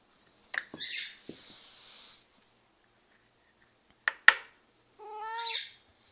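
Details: Pet cat calling indoors at feeding time, a sound its owner describes as barking: a single rising-then-falling harmonic cry near the end, after scattered clicks and knocks.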